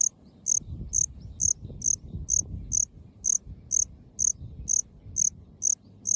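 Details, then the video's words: Calling male Melanogryllus bilineatus cricket from Okinawa, living under short grass in park meadows; bright, high-pitched chirps evenly repeated roughly twice per second over a quiet low hum. "虫の鳴き声 マメクロコオロギ オス♂ Melanogryllus bilineatus"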